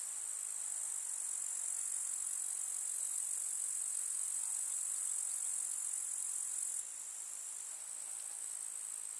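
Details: Summer-meadow grasshoppers stridulating: a continuous thin, sizzling high-pitched drone, almost unvarying for most of the stretch, then stepping down slightly in loudness toward the end.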